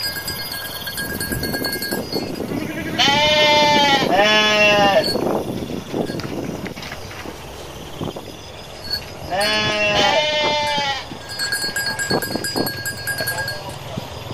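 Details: Garut sheep flock running across rice fields as males rage; two pairs of quavering, nasal bleats several seconds apart, with rustling, trampling and scattered clicks filling the gaps.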